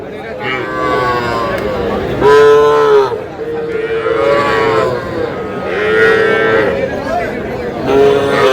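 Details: Young bulls and heifer calves at a livestock market in Aftabganj, Dinajpur, on 24 August 2026: repeated drawn-out tonal moos with rich harmonics, one roughly every one to two seconds, over a steady hum of crowd chatter.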